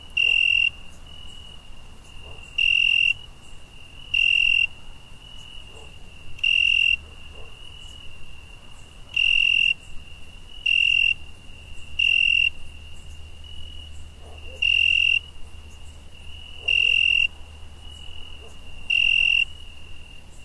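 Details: Cricket chirping on a summer night: loud, high, ringing trills about half a second long, ten bursts spaced roughly two seconds apart over a thin continuous background trill and a faint low rumble.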